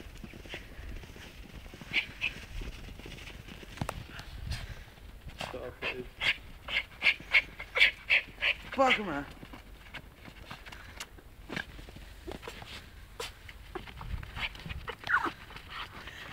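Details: Scotty, a pet dog, goes crazy on a snowball outdoors and destroys it, giving a quick run of sharp, high yips and whines in the middle, with panting, crunching snow and human voices around it.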